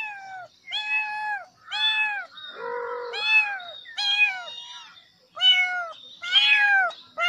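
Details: Kittens meowing loudly on seeing a snake: a run of about eight clear, slightly downward-bending meows roughly once a second, one lower and flatter in the middle, with faint background music.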